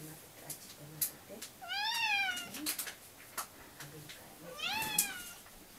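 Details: Pet cats indoors meowing to demand their breakfast: two drawn-out, harmonic-rich meows, the first rising then falling, the second sharper and descending, with clicks and household noises between.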